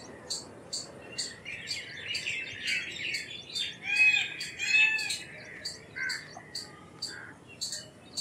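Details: Indian palm squirrel chipping rapidly in short, shrill bursts, with busy lower twittering and a couple of thin, drawn-out whistles joining midway.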